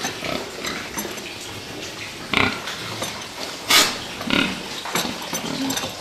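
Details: A herd of fattening pigs squeals loudly twice, harsh high bursts standing out over low scattered grunting and constant barn noise.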